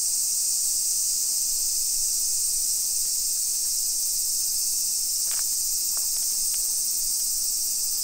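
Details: Loud, even cicada chorus on a July 2021 summer afternoon in a Nisshin, Aichi neighborhood of Japan, a seamless shrill buzz, broken by a few brief sharp clicks between five and seven seconds.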